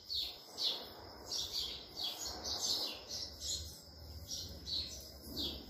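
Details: A wild Indian palm squirrel, friendly and fed grapes, chirps rapidly and steadily, high and bird-like notes about three per second, with low background rumble.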